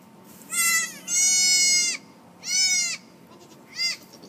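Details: Farm goat giving birth in March; a quick run of four bleats, a short one, a long steady one, another mid-length cry and a brief final one, all bright and strongly harmonic.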